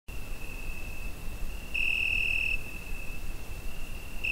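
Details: Cricket on a summer night, recorded on a Zoom H5: a steady high, pure trill with one louder, brighter stretch lasting nearly a second midway, over a low rumbling background hiss.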